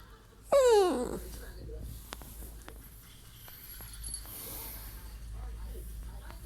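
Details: A rescued Chiweenie that resembles a miniature dachshund puppy gives one high, falling whine, a hungry cry, followed by quiet room sounds.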